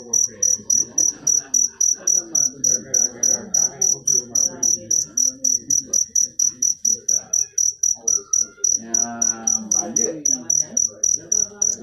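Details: A long run of piercing cricket chirps, around forty in steady sequence, each a crisp high trill, with faint voices or other soft background sounds beneath.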